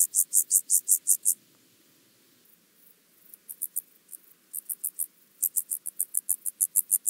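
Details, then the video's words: Song of the penumbra grasshopper (Chorthippus vagans), Mörnsheim, Germany, 14 July 2023, via Pettersson D 100 ultrasound detector: bursts of quick high rasping pulses, broken by a silent gap, then resuming in softer and louder stretches. "Chorthippus vagans -- Steppengrashüpfer -- Penumbra Grasshopper"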